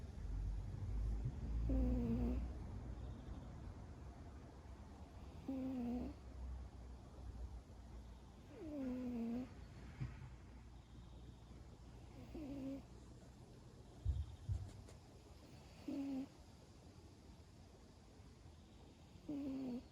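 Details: An ageing male cat, about eleven years old, asleep on a lap in a garden, snoring in soft nasal wheezes with a slight whistled tone every three to four seconds; low rumbling handling noise underneath.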